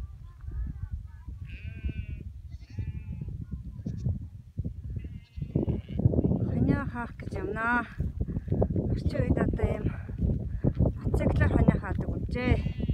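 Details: Free-pastured cashmere goats in North Eastern Mongolia, kept with sheep and brought to the fence: wavering, quavering bleats overlap in the second half, over a man's talking and low rumbling wind.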